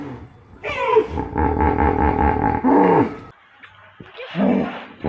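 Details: Hippopotamus giving a loud, rough honking call: a rapid train of evenly spaced throaty pulses with a rich harmonic tone lasting about two seconds, then a short silence and a lower, softer grunt near the end.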